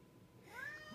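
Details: Short rising meow from a pet cat in a room, brief and upward-sweeping, answering a person calling it to come here.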